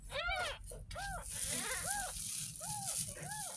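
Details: Kitten, ten days old and found in a roadside gutter, cries while its face and head are rinsed during its first bath. Five clear, arched meows fall at fairly regular intervals, and a brief voice is heard at the start.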